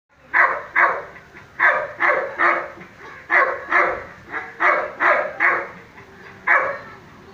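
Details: A six-month-old male Dobermann at a kennel in Thrissur, Kerala, barks in a quick, uneven series of sharp, mid-pitched woofs, about two each second.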